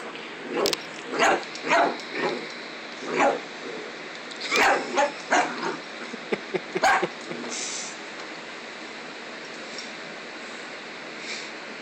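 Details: Coraline, a dog who hates her stuffed toy double, lets out a run of about a dozen quick, uneven barks over the first seven seconds, then falls quiet apart from light indoor background noise.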